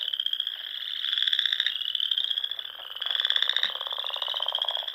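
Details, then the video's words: Chorus of frogs in the Nebraska Sandhills during spring, at dusk by small ponds: continuous high trilling overlaid with two loud pulsed trills, each rising and fading over roughly two seconds. "RELAXING SOUNDS OF FROGS"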